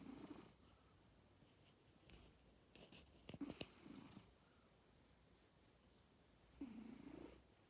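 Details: A pet cat snoring while asleep indoors: soft, breathy snores recur at irregular gaps of a few seconds, each a hissy rasp with a low hum, separated by near silence in a quiet room.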